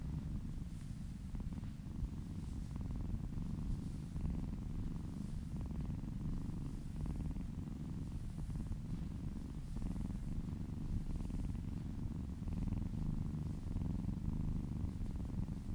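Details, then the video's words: Domestic cat purring contentedly while being massaged, a steady low rumbling purr filling the whole stretch with no break, soft faint hiss of handling strokes above it, quiet indoor setting. "Purring kittens ASMR"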